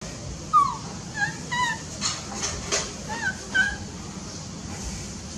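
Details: A baby monkey utters thin, whistled squeaks: about seven short chirps, some falling and some rising, spaced unevenly across five seconds over a steady background hiss.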